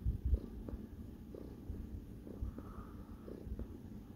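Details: Kneading cat Sparkles gives a low, muffled purr with faint rhythmic pulses and a couple of louder thumps at the start, indoors.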